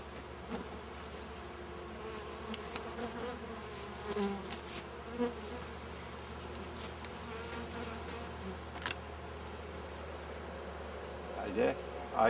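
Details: Honey bees of an inspected swarm, treated with powdered sugar against varroa mites, keep up a constant many-voiced hum while sharp clicks and knocks from handling the hive break in at irregular moments.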